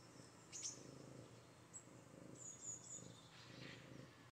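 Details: Maine Coon named Katalina, cuddly after a bath, purring softly: a low, steady, finely pulsed rumble that runs throughout, with a few faint, thin high tones above it.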